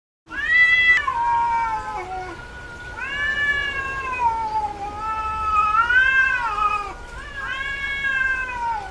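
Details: Female domestic cat in heat, vocalizing more than usual: four long, wailing meows, each arching up and sliding down over one to two seconds, with short pauses between them.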